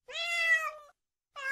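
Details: Cat giving a single clear, slightly drawn-out meow that holds steady then drops at the end, followed after a short silence by the onset of another meow.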